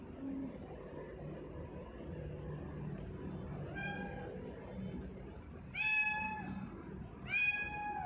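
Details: Sia, a pet tortoiseshell cat, meowing indoors: a faint short call early, then two loud drawn-out meows about one and a half seconds apart near the end, each bending downward, with low household background noise.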